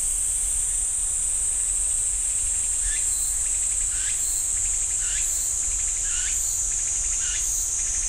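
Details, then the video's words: Cicadas singing in a pine forest at Ssanggyesa temple, Jirisan National Park: a steady, high, hissing drone runs unbroken throughout, while a lower, downward-sliding call repeats roughly once a second from about the third second on. "지리산 쌍계사 소나무 숲 매미 소리"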